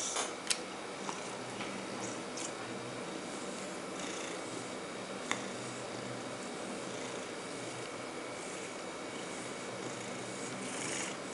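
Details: Bonzo, a pet cat, purring contentedly indoors while being combed; a soft, steady low rumble runs throughout, with a few faint sharp clicks and light combing strokes over it.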